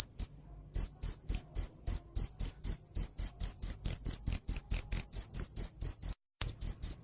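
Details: A cricket in a summer field chirps steadily, a high, pure trill pulsing in quick, even bursts several times a second.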